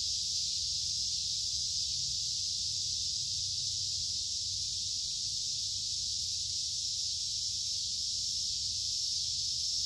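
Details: Cicada calling in summer: a continuous, steady high-pitched buzz that holds unbroken at even loudness for the whole stretch, with a faint low rumble underneath.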